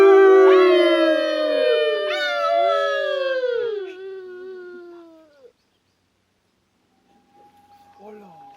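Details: Iberian wolf howling at the Centre Signatus in Sant Pere de Vilamajor: long smooth tonal howls with rich harmonics, gliding and overlapping as voices join, fading after about five seconds, then faint distant sounds.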